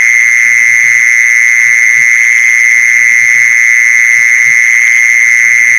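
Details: Unbroken, level high trill of a mole cricket, a call used for luring mole crickets; the pitch never wavers, while soft low taps recur irregularly in the background.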